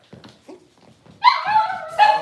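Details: Six-week-old Cavalier King Charles Spaniel puppies indoors while being dewormed and having toenails trimmed: soft rustling handling noises, then two loud, high, drawn-out whining yelps with a rich harmonic tone, the second after a brief pause.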